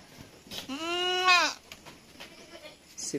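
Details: Goat bleating during the weaning of kids at Terra Grande Farms, San Carlos City, Negros Occidental, Philippines: one long, strongly harmonic, wavering bleat lasting nearly a second, then a quiet farm background with faint clicks.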